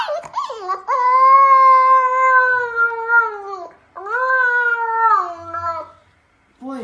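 A husky puppy gives two long, wavering howls, each holding steady before sliding down.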